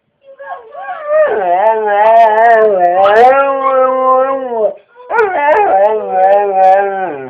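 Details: Pet dog named Atlas singing the potty song, as if asking whether he has to go potty: a long, wavering, melodic howl with rich overtones, gliding up and down, broken by one short pause before a second drawn-out phrase.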